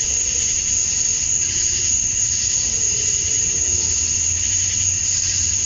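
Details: Georgia, USA, summer evening at dusk: male cicadas chirping to draw females make a constant, even high-pitched drone layered over shimmering hiss, with a low droning hum underneath.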